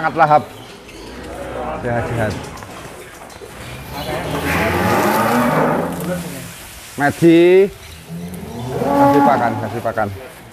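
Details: Real Douglass, an Angus described as the biggest cattle in Indonesia and king of Angus cattle, gives a short harmonic moo late in the recording, followed by a fainter second low call, over steady broadband rushing background noise.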